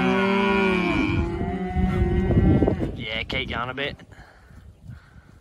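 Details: Hereford steers from a lot of 54, March/April born: overlapping deep moos from more than one animal, followed by a higher, wavering bellow and then fading shuffles.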